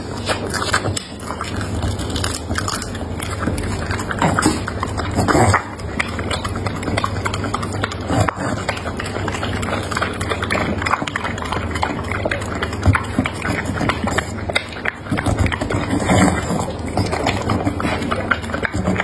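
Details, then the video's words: Pet dog chewing through carrot, potatoes, meat, eggs and tomatoes, recorded close for ASMR; continuous moist crunching and smacking with dense irregular clicks and a constant low background hum throughout. "My dog today is eating Carrot, Potatoes, Meat, Eggs, Tomatoes"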